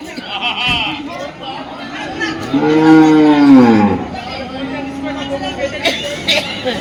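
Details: Cattle mooing at the Dhaniakhali cattle market, held every Friday: one long, drawn-out low moo that rises then falls, about one and a half seconds, over a steady murmur of people talking and market chatter.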